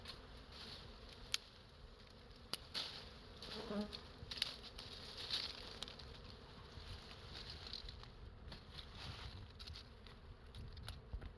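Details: Honey bees at a large wild beehive hanging from a tree branch in a natural forest, giving a soft, steady buzzing hum with scattered sharp clicks and brief louder passes of individual bees.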